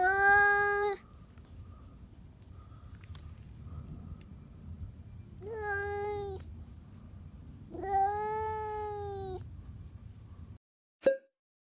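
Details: Indoor domestic cat's scream on noticing a cat outside: a loud yowl, then two more long, wavering wails a few seconds apart, with a faint steady tone and low hum between them and a sharp click at the end.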